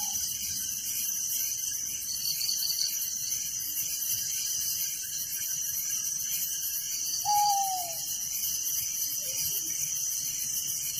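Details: A night chorus of crickets in a village rings steadily at a high pitch with regular pulsing trills; one clear, falling whistled call rises above it about two-thirds of the way through.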